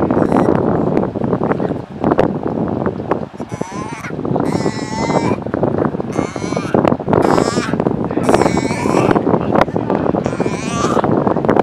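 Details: Galapagos sea lion. Galapagos sea lions call in drawn-out, quavering bleats, each lasting about a second and coming every couple of seconds. A dense, rumbling wash of background noise, possibly distant voices, runs underneath throughout.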